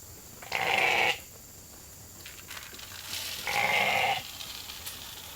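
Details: Hungry sheep at Nature Lane Fiber bleating for their evening grain in the holding pen; two separate sustained bleats about three seconds apart, with a quieter murmur between them.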